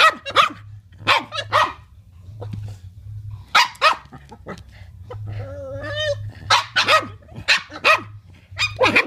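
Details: Boston Terriers at play let out scattered sharp barks and yips, with a brief whining, rising whimper in the middle amid the quick, uneven barking.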